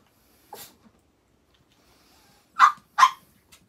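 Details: Pet Chihuahua during a toilet-pad change: one soft, short bark, a pause, then two sharp, loud barks in quick succession about half a second apart, with near silence between them.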